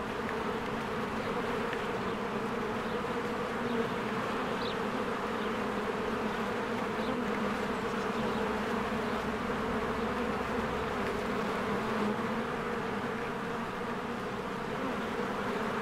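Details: Bees in spring flying in and out of their hive among blooming flowers: a dense, unbroken buzzing drone with a steady low hum, many wingbeats overlapping, and a few faint, brief chirps from birds in the background.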